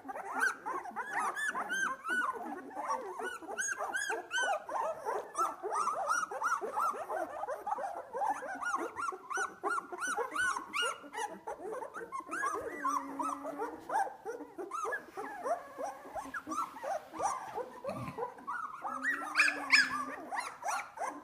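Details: A litter of two-week-old Australian Labradoodle puppies, just starting to open their eyes, at play. Many overlapping high squeaks, whines and whimpers run almost nonstop, with short yelps throughout.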